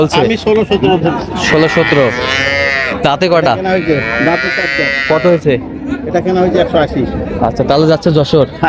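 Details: Improved-breed dairy cows and calves at Raniganj market in Dinajpur, recorded 27 July 2025; a long, drawn-out harmonic moo swells between roughly two and five seconds, surrounded by busy crowd chatter and men talking nearby.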